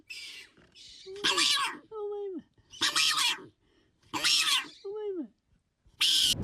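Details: Hyrax, a small furry animal of African mountains, whose calls seem to try to say something, at times like a child's 'mama'; harsh broadband squealing bursts alternate with short tonal down-slurred squeaks, about five bursts in six seconds.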